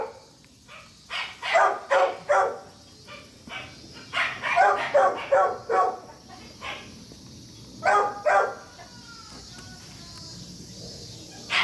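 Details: Young German Shepherd Dog puppy giving clusters of two to four sharp, high barks separated by quiet gaps, with a soft background hiss and a few faint whines near the end.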